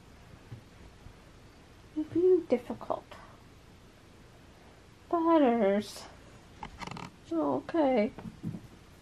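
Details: Butters, a cranky, frustrated pet cat, meowing and biting indoors in a small room: a short meow, then a long, wavering, drawn-out meow, then two more mid-pitched meows, with quiet human speech in the gaps.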